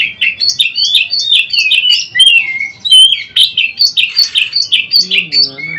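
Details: White-rumped shama in varied song for daily tutoring of kept shamas; quick sequence of fluty whistles and chattering phrases jumping in pitch, with a faint lower warbling sound near the end.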